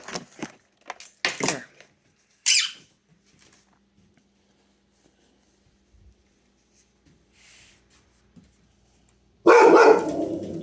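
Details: A goldendoodle gives a few sharp, loud barks at a child's doll in September 2022, with a person's voice talking nearby.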